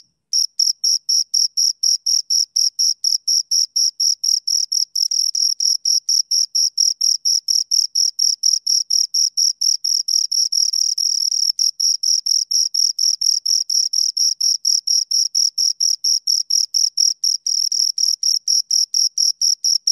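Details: Two crickets chirping in a steady, unbroken stream of high, shrill pulses, about five each second, with a faint higher overtone above; the two insects' rhythms overlap so the pulses nearly merge. No other sounds.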